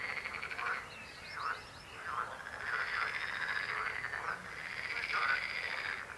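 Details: Frog chorus with continuous trilling croaks, rising and dipping notes overlapping, one call swelling near the end over a steady pulsed background.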